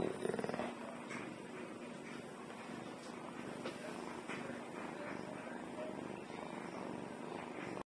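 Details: Purring domestic cat, returned home after catching at least two mice earlier that day: a continuous low, rapid rumble holding evenly throughout, with a short louder burst at the very start.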